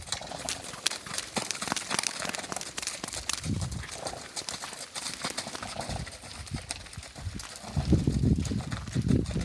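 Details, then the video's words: An Icelandic horse gives low, rough, rumbling grunts amid hoof clicks and outdoor noise. He was being made to run because he is fat, and he had been much louder earlier. Someone suggested he was thanking them for the run, but this is doubted. "Icelandic horse makes a funny sound"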